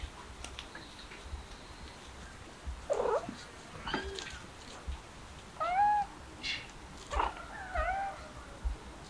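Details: Kittens, described as stray, giving several short meows with bent, arching harmonic strokes, scattered between about three and nine seconds amid low background rustling and handling noise.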